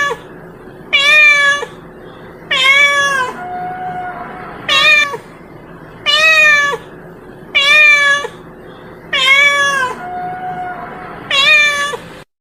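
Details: Cat calling its friends in a long run of seven similar meows, strong and rich in overtones, repeated roughly every one and a half seconds at an even pace, each ending with a slight downward bend.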